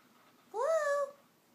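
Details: Blu, a blue Scottish Fold cat living in New York City, born March 2012, being kept awake so he won't fall asleep, gives a single short rising-then-falling meow indoors, quiet room around it.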